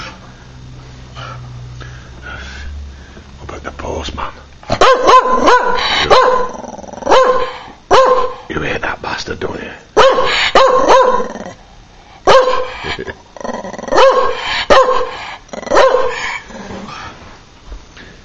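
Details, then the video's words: Patterdale terrier barking at the postman, a low hum and faint sounds at first, then loud sharp barks and growly yaps in quick irregular bursts for the rest. "Patterdale dont like the post man"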